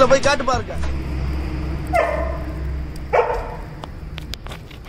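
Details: A Labrador during a midnight celebration gives two short, sharp barks about a second apart, following a burst of human speech, over a low steady hum.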